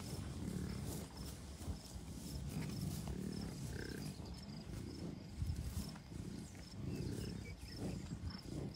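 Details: Wild American bison herd of many cows, a few bulls and dozens of calves ("red dogs") at Rocky Mountain Arsenal Wildlife Refuge, Commerce City, Colorado, June 2, 2022; deep rumbling grunts repeat in bursts under steady wind noise and a faint high whine.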